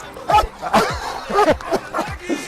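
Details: A Belgian Malinois gives a burst of about six short, sharp barks within two and a half seconds. The barks are loud and clipped and fall in pitch, with brief gaps between them.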